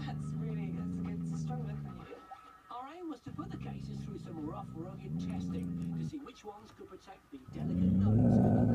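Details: Laksa the dog growls at a deer glimpsed through a caravan window, its first ever sighting of one. Deep rumbling growls come in three long bouts, broken by short pauses with quiet human voices, then a louder rise at the end.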